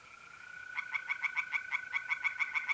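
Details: Singing tree frog at night in a pond, north-east Italy, mid-April: a quick series of sharp, clicking croaks about six per second, over a continuous steady hum of trilling mole crickets.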